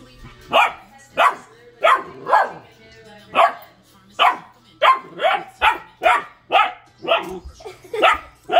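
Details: Male Bernese Mountain Dog puppy at play, pretending to attack a water bottle and bouncing around; short, sharp, puppyish barks come in an uneven series, about thirteen over eight seconds, some in quick pairs.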